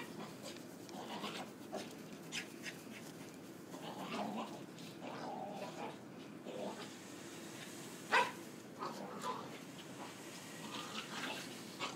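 Corgis play fighting with a steady run of low, gravelly growls, huffs and snorts broken by brief yelps. A single sharp, louder bark stands out late in the sequence.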